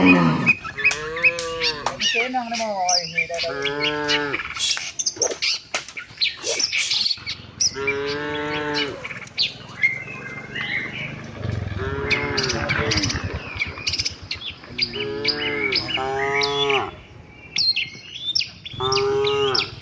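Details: Tame cattle moving with the herd toward their pen, lowing repeatedly: a run of short and medium moos, some wavering, spread across the clip, with lively bird twittering overhead and occasional thuds.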